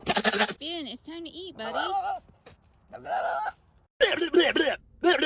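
A goat gives wavering, nasal bleats, mixed with a man's voice talking to it.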